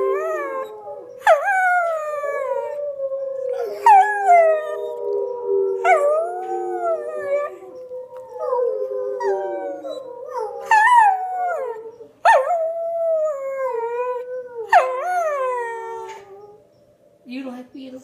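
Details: A female Schnauzer howls in long, wavering tones that slide up and down, joining in with recorded wild wolf howls playing on TV.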